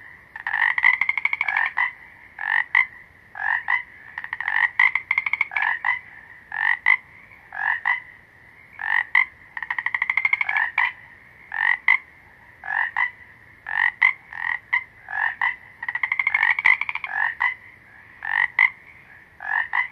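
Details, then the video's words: Frogs calling continuously, a steady stream of short raspy croaks and pulsed trills, some in quick pairs, overlapping closely so the calling barely pauses across the recording. "Frogs - Nature Sounds"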